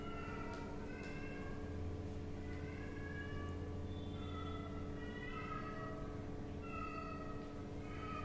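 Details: Hungry kitten meowing to be fed fish and rice: short, high, wavering meows, some rising then falling, repeated roughly every second over steady background music and a low hum.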